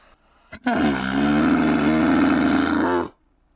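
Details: A domesticated dromedary camel lets out a single long, harsh, gurgling bellow lasting about two and a half seconds. It follows a brief click and ends abruptly in near silence.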